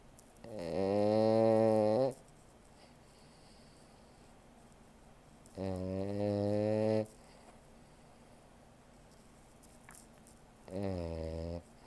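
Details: Sleeping French Bulldog snoring in a quiet room, three drawn-out raspy snores of roughly one and a half seconds each, spaced about every four to five seconds, each with a rough harmonic buzz.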